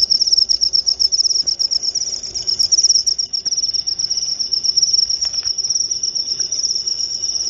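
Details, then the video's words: Sustained high cricket trill of rapid pulses, louder and choppier in the first seconds, then smoother and steady, with a few faint clicks; used as a sleep aid and natural rat repellent. "Suara Jangkrik"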